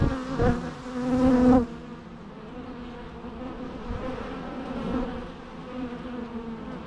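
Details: Bee buzzing in a natural recording: a loud, close, steady hum with stacked overtones swells for about a second and a half, then drops to a softer continuous background drone with faint passing buzzes.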